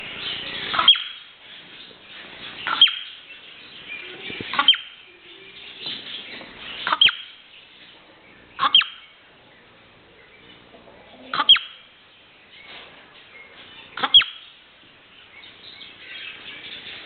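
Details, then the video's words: A marmot named Mitya gives sharp, piercing whistled screeches, one about every two seconds. "Пронзительный свист (крик) сурка. Marmot`s piercing screech"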